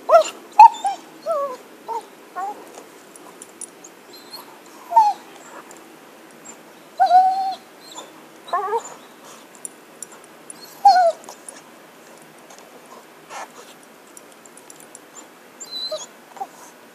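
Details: Pet dog playing with a stick, giving high whining whimpers and short yips in bursts separated by pauses, with some quieter rustling between.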